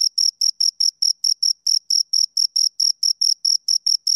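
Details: Two crickets chirping close up: short, high, ringing pulses repeated quickly and steadily, about five per second, with slight gaps in the rhythm; no other sounds.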